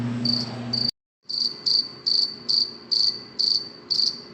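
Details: Cricket chirping at night: a steady train of short, high, pure chirps repeated about twice a second, briefly preceded by a low hum that cuts out into a moment of silence.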